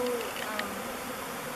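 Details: Thousands of honey bees swirl in a swarm before a log hive called Bee Beard, the home they chose. A steady low hum with faint banded overtones fills the whole moment. A person's voice sounds briefly at the start.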